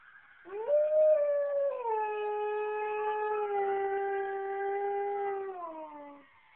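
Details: A Siberian Husky howls in response to local emergency sirens, a long, steady howl starting higher, settling lower, then sliding down at the end.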